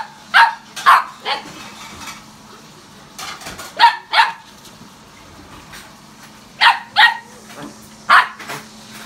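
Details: Repeated loud barks from a German Shepherd visiting another dog's home, coming in tight pairs and small clusters with brief quiet gaps, roughly a dozen across nine seconds, a faint constant hum underneath.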